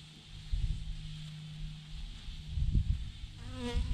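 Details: Swarm of thousands of honey bees clumped on a branch, giving a steady low droning hum with gusty rumbling bursts, and a close bee's wavering whine near the end.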